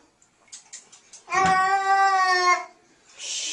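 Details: Kitten facing a mysterious object, calmed by a voice saying it is only water: one long, loud, drawn-out meow with a steady pitch, lasting about a second, after a few soft clicks and rustles.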